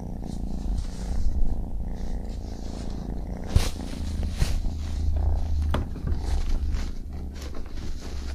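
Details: Deep, very low purring from a baby kitten, a steady throaty rumble held throughout, broken by a few sharp clicks or taps in the middle and light rustling noises.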